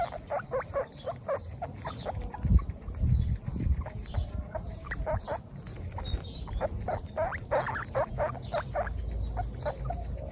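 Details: Baby guinea pigs from a group of 26 females on their first picnic outdoors, giving rapid repeated high squeaks and chirps in quick bursts, with rustling and handling noises underneath.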